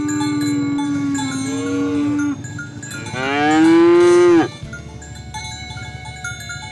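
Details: Cattle out in the rice field calling their companions back to the pen: a short moo and then a loud, drawn-out, rising-then-falling bellow, with steady musical tones behind.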